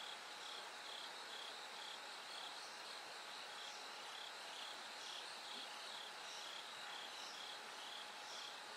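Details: Night-time bell cricket song as the sky slowly lightens: high, clear ringing notes in rapid repeated bursts, about two per second, overlapping trains, backed by even broadband hiss and a thin steady low hum.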